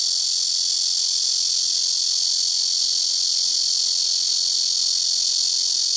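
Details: Blackish cicadas in trees by a house rooftop give an extremely loud, continuous, high and hissing buzz, steady and unvarying, a wall of insect sound with nothing else audible.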